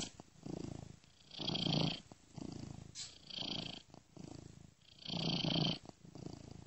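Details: Sleeping domestic cat's purr, looped and shifted from ear to ear by software; rumbling low purr alternating with louder breathy swells carrying a hissing upper tone, about five pulses.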